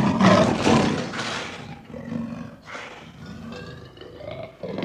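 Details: Lion giving a powerful hoarse roar that starts loud and broad, then trails into lower rumbling growls that swell again near the end.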